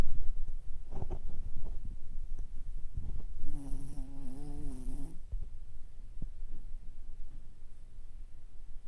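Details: Sleeping Toy Poodle lying flipped over, eyes rolled showing the whites, gives a drawn-out nasal snore lasting nearly two seconds, wavering and tonal, framed by softer rasping breaths and small snorts in a quiet room.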